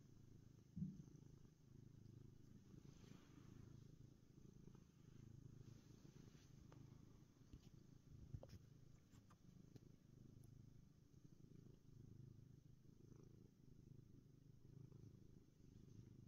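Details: Contented black cat purring indoors while resting, a steady low rumbling purr running continuously with faint background hiss and a few small clicks.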